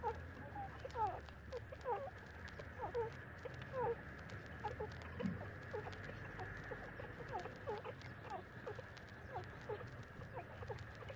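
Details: Thirty-day-old puppies nursing from their mother give short, high squeaks, repeated about once a second in irregular bursts over a steady low hum.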